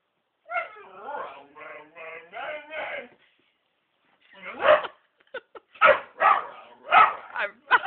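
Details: Whippet dog that wants to get at a black cat: a wavering, pitched whine lasting about two and a half seconds, a short pause, then a string of sharp yips and barks roughly every half second.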